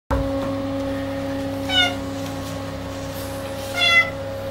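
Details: A clouded Bengal cat gives two short, bright meows about two seconds apart over a steady mechanical hum.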